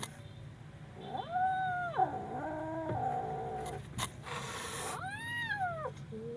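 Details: Kitten yowling in fear: a long, rising-then-level wail, a lower wavering cry, and a shorter arched yowl, with a brief rustle between cries and a low background hum.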